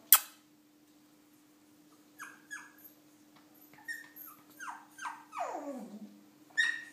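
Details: Shih Tzu puppy Milo, indoors, trying to get down stairs, gives a run of short high whimpers, each sliding downward. They come closer together toward the end, finishing in a longer falling whine, over a steady low hum.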